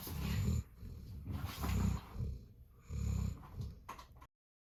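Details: Sleeping Jindo dog snores loudly. Low, rasping rumbles last about half a second each and repeat every one to one and a half seconds before the sound cuts off abruptly.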